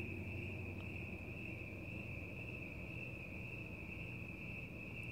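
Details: Crickets trilling outdoors at night alongside cats; one sustained high, slightly wavering chirping tone carries the whole stretch over a low murmuring background.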